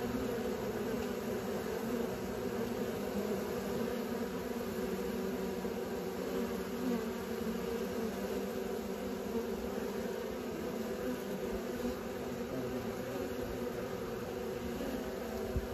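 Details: Continuous low droning hum of many honey bees learning to fly, an even buzzing swarm sound with strong low bands and no other clear sounds.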